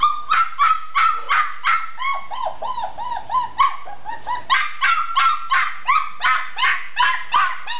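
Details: Red tri-colored Australian Shepherd puppy, a female, wanting out of her enclosure, yapping in quick bursts, with a run of higher, whiny yelps in the middle before steady sharp barks resume.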